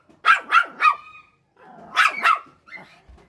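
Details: A Shih Tzu, jealous of a rabbit, gives sharp, high yapping barks in a quick burst of three, then two more.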